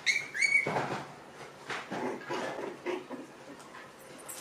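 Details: Six-week-old puppies from Rainy and Fancy's litters playing together in a pen: a short, high, whining yelp at the start, then scuffling and clattering play noises that fade toward the end.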